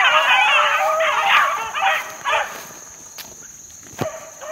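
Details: A group of young Beagle pups, four months old and working outdoors in the wild in 2013, yelp and bay in quick overlapping bursts that fade out midway. Sharp knocks and a steady high tone follow.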